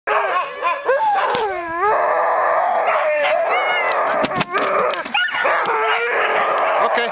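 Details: Five Alaskan Malamutes, sled dogs, vocalising before a run; overlapping rising and falling howls and whines form a dense chorus, with sharp barks and a musher's voice calling out.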